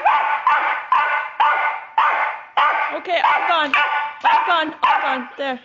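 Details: Excited West Highland White Terrier barking at animals shown on TV: a rapid, steady series of loud harmonic barks, nearly two per second, ending in higher whining yelps; a voice sounds in the background.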